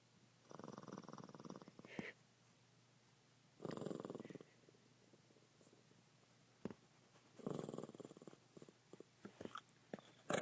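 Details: Sleeping pet Shih Tzu called Sampson gives three fluttery, rasping snores, each one to two seconds long and spaced about three seconds apart, with quiet breathing pauses and a few small clicks between.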